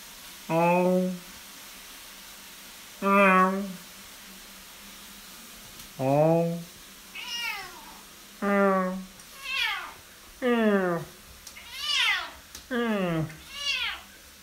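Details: A male Bengal cat indoors gives long, loud harmonic yowls every few seconds, broken up by quicker meows that rise and then drop, with a person's voice briefly in between. He often sang like this at 5 in the morning.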